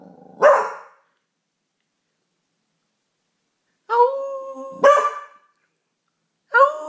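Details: Pauly the Beagle, learning to howl at the neighbours, starts with a sharp bay, then after a pause holds a steady tonal howl for under a second, breaks into another bay and begins a third.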